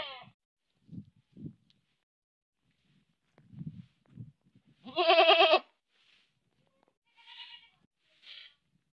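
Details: Goat bleating in Manpur village. Soft low grunts are followed by one strong trembling baa near the middle, and fainter short bleats come after it.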